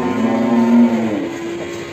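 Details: Cattle at Ambarketawang, Sleman, Indonesia, shown in the morning among qurban sacrifice cattle. One deep, steady moo holds for about a second, then drops lower and fades, with faint music underneath.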